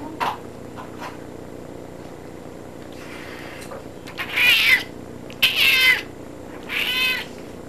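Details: Pet cat in a bathtub meowing three times in a row, each call a drawn-out harmonic cry lasting about half a second, after a softer faint meow; quiet indoor room tone underneath.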